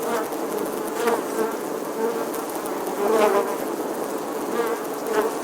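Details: Bees at an apiary, a dense continuous buzzing drone of many insects, swelling and fading in loudness, with individual bees passing closer now and then.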